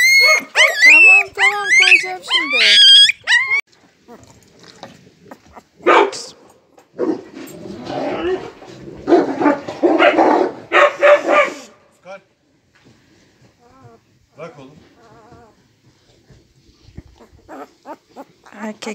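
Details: Husky puppy giving high, wavering harmonic whines and yelps over the first few seconds, followed by a stretch of people talking, rustling and softer noises.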